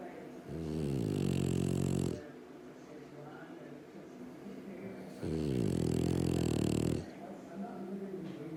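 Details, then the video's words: Sleeping pet dog snoring loudly: two drawn-out, rattling inhalations of nearly two seconds each, separated by a quieter exhale, in a small quiet room. "Snoring Dog"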